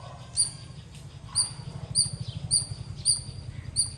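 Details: Loud squirrel chirping: sharp, high, two-toned chirps repeated roughly every half to one second over a steady low hum, with faint background noise.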